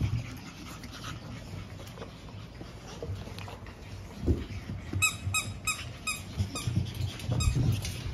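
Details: Pug puppies, littermates born 17 April, indoors shortly before leaving for new homes; a quiet rustling stretch, then several high, thin squeaky yelps in quick bursts near the end over low background rumble.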